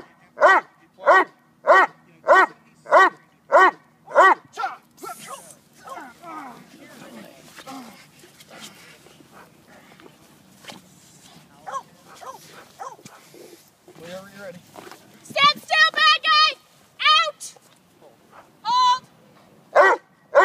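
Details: Neapolitan Mastiff male in protection training, working on bark and hold and bite work: deep barks repeated about every 0.6 seconds for five seconds, then a handler's speech and scattered scuffling, with a few later barks.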